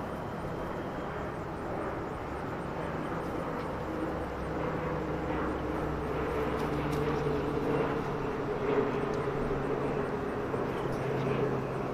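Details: An outdoor recording dominated by the steady low drone of an aircraft or vehicle, with faint murmurs in the background.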